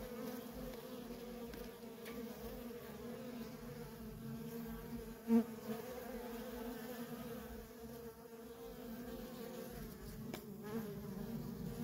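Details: Worker honey bees in nonstop traffic at a feral colony, a steady low droning hum from many wings with a sharp brief click near the middle.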